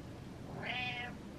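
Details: A pet cat seeking attention gives a single drawn-out meow, rising then falling, lasting about half a second, in a quiet indoor room.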